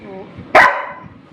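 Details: Pet Labrador Retriever named Rimi fighting for food gives one short, loud bark that trails off into a fading tone, with quiet room noise around it.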